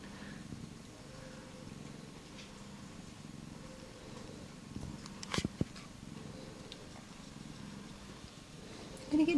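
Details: Australian Mist mother cat with her first-born kitten, indoors; a steady low rumbling purr runs throughout, with people chatting softly and a few brief knocks and clicks.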